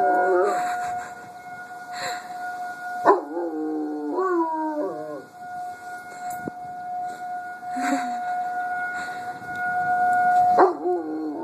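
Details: Dog howling at a siren: wavering, stepped howls that rise and fall, heard mostly from three to five seconds and again near the end, over a loud, steady siren tone that dominates throughout.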